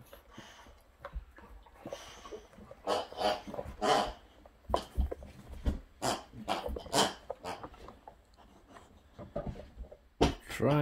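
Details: Boxer Sammie, one of two boxers in a home with another named Rex, indoors in a small room: rough, breathy grunts and growl-like bursts in irregular clusters, ending in a sharper, higher whine.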